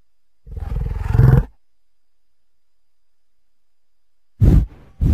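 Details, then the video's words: American bison giving one deep, rough roaring bellow of about one second, then a pause, followed by two short, abrupt grunting bursts. "Buffalo and Bison Sounds"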